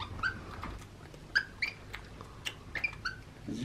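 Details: A baby monkey, very vocal, at playtime in his playroom and during bottle feeding, gives short high squeaky chirps, some with a rising or falling tone, about one a second, with clicks and a person's soft voice nearby.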